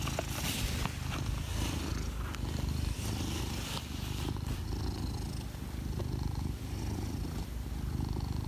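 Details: Cat hidden under a table gives a steady, throaty purr, a low vibrating drone cycling with inhale and exhale, accompanied by occasional rustling and soft clicking noises.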